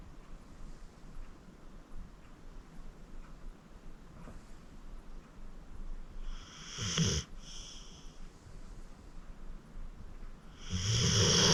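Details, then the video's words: Senior pit bull Acorn, 14 years old and adopted from the Cuyahoga County Animal Shelter, asleep at home; faint breathing for several seconds, then a short rough snore near the middle and a louder snore building at the end. "Acorn Sleeping - Relax with a Snoring Senior Dog"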